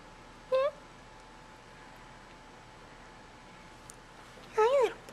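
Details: Kittens in an indoor nursery venturing out of their tent to be bottle fed. One short high mew, a quiet pause of about four seconds, then a second longer wavering mew.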